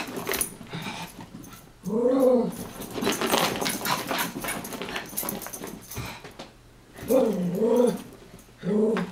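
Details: Two Chihuahuas playing their favorite game of chasing and wrestling; an arched growl, a stretch of scuffling and rustling, then a run of bouncing, wavering growls toward the end.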